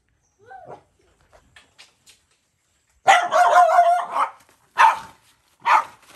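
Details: Stray mother dog on a Cambodian farm threatening to bite a boy feeding her puppy: faint whines, then a long harsh snarling bark run lasting about a second, followed by two single loud barks.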